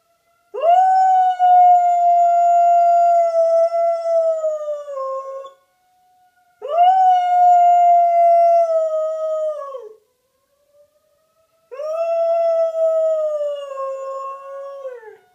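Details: Bear, a pet dog, howls at a siren in three long sustained tones, each about four seconds, starting sharply, holding level, then sagging in pitch at the end, with short silent gaps between them.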